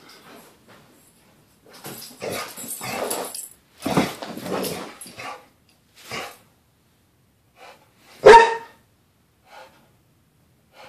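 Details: Pit bull back home after a weekend away, excitedly celebrating with rough grumbling vocal bursts, then one loud sharp bark, followed by a few faint small sounds and quiet.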